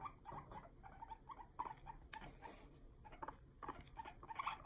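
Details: Male guinea pigs chatter their teeth at each other in quick, clicking bursts, a sign of anger that happens when they aren't kept together.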